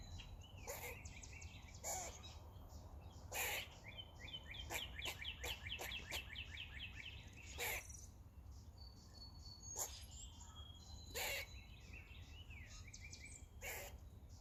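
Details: A squirrel on a roof, making noises while eating, gives sharp, scratchy bursts and a quick run of rapid chattering notes over a steady insect hum.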